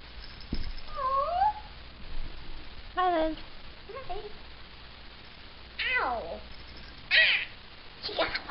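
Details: Tiny, hyperactive pet kitten meowing indoors: about six high, thin mews with rising-then-falling, wavering pitch, spaced irregularly over eight seconds, the later ones sharper and squeakier, with children's voices nearby.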